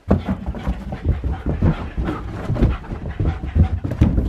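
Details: Excited Siberian Husky Key panting hard during zoomies while digging at the carpet indoors, quick rasping breaths about once a second mixed with scratching and thumping paws.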